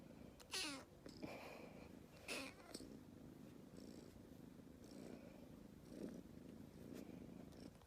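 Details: Aleef, a tiny rescued calico kitten, purrs continuously in a low buzzing rumble, interrupted by a few sharp, noisy bursts near the start.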